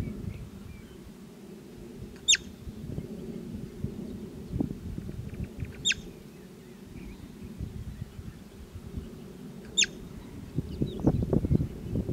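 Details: Bobak marmot (Marmota bobak): three sharp, very brief whistles, each plunging steeply in pitch, spaced roughly four seconds apart over a steady low rumble and rustling.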